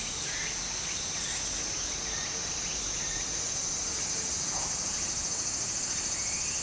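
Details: Cicadas by a stream in Japan in summer keep up a continuous shrill, high drone, with a few faint rising chirps beneath and the rush of water.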